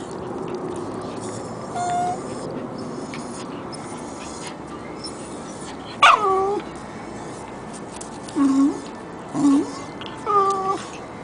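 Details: Two dogs, a Jack Russell and a Corgi puppy, playing together indoors; a few short whining yelps near the end, with higher tonal squeaks and a low hum in the background.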